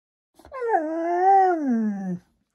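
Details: Maya the Husky, indoors, 'talking' back and arguing with an Alexa smart speaker: one drawn-out, wavering, howl-like vocal about two seconds long, sliding up then gently down in a smooth, harmonic-rich moan, with quiet surroundings.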